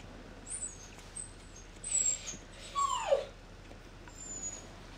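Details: Puppy giving a single clear whine that slides downward near 3 seconds, with brief thin high squeaks earlier and a quiet room hum beneath.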